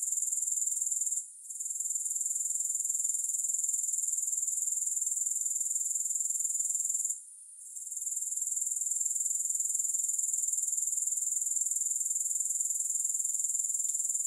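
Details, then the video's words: Grasshoppers heard with no music, a soothing insect chorus: a steady, shrill, high-pitched pulsing trill that runs on without pause, broken only by two brief dips in loudness, with no other sounds. "Grass Hopper Sounds"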